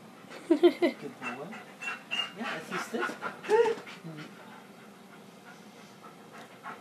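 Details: Household dogs: Buddy meeting Bella, a newly arrived puppy, for the first time indoors. When she whines he whines, and stops when she stops. High, wavering whimpers come in short bursts with panting, while a person talks over them.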